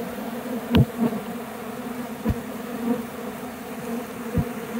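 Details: A dense, steady buzzing of many honey bees, broken by a few dull knocks, as a swarm that took flight from a nearby tree returns to a hive box whose caged queen remained.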